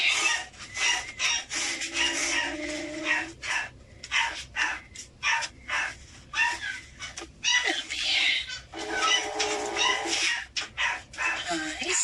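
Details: Feral kittens, angry, spitting and hissing in short sharp noisy bursts, roughly one a second but irregular, with a low growling tone held under the hisses early on.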